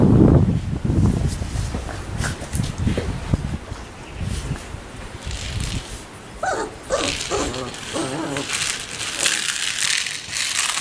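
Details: Labrador Retriever puppies, one week old: low rumbling handling noise at first, then a run of short, high, quavering whimpers and squeaks clustered in the second half, over steady background hiss.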